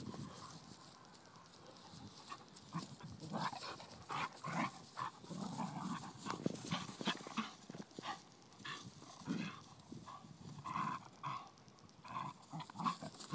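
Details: A ten-week-old blue nose Pit Bull pup at play with a five-year-old Vizsla, giving brief grumbles and snorts amid constant rustling and pawing, the activity building in the middle of the clip.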